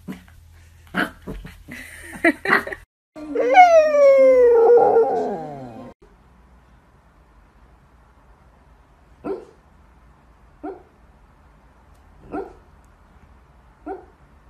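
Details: Corgi Husky mix puppies; a drawn-out falling howl of about three seconds, then four short sharp barks spaced a second or two apart, with brief noises and rustling at the start.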